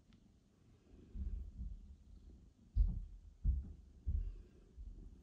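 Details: Low muffled thumps and soft rustling indoors, with no animal voice heard.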